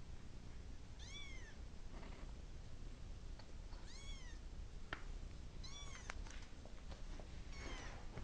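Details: Domestic cat meowing because it wants to go to its mama, indoors; four clear arched, rising-then-falling meows spaced a second or two apart over a quiet low room hum.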